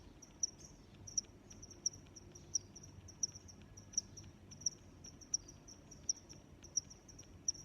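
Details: Regular cricket chirps, bright and high-pitched, spaced about two-thirds of a second apart against a constant thin trill, with quiet low-frequency ambient noise underneath.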